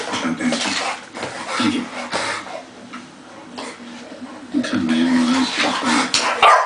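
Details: American Bulldogs Cinder, 11 months, and Achillies, 1 year old, fooling around in a play fight: throaty growls in bursts, a quieter scuffling lull midway, then louder growling and a sharp sound at the end.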